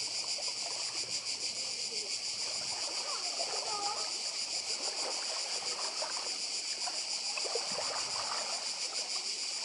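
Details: Continuous shrill cicada chorus on Badija Island in Croatia, a steady high-pitched buzz with a slight rapid pulsing, over gentle sea wash and light water splashing.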